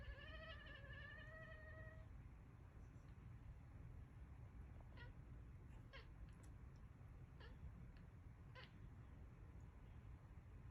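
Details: Domestic cat giving a loud, drawn-out meow for about two seconds, its wavering tone slightly rising and falling, followed by scattered faint clicks and taps over a steady low rumble.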